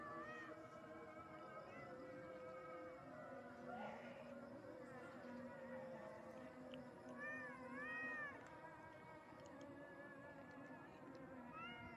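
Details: Frightened village cat reacting to the sound of a siren: a few short arched meows, mostly around 7 to 8 seconds and again near the end, over a steady droning background with layered tonal hum.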